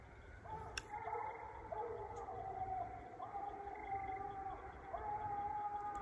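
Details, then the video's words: Coonhounds, Bluetick and Walker, baying up a tree at a raccoon during a coon hunt about 120 yards away; long, even, mournful howls held for a second or more, one after another with short gaps, over faint outdoor hiss. "Treeing Coon"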